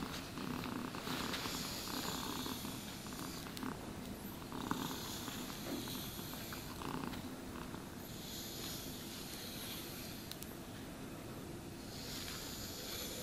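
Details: Continuous low, throbbing purr from a domestic cat during grooming with a brush; rhythmic scratchy bristle strokes come and go every few seconds over the even rumble, and no voices are heard.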